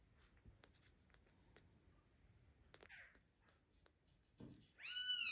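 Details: Weak, bottle-fed ginger kitten of 130 grams, not getting enough milk from its mother, gives a short high arched mew at the end, after quiet shuffling and soft clicks indoors.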